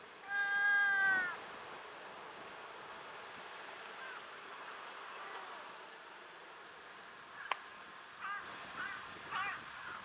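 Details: Chatty tortoiseshell cat gives a strong, drawn-out meow at the start, rich in harmonics, then after a quiet stretch a sharp click and a few softer, brief mews near the end.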